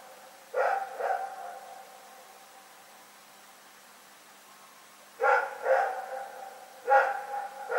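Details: Rex, a dog, barking at night on February 27, 2018, giving paired barks with clear harmonic bands, a long pause, then two more bursts of quick double barks over low background hum.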